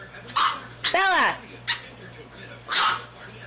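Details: A Boston Terrier puppy, with a pug puppy present, gives short, high, yappy barks, one rising then falling in a squeaky arc.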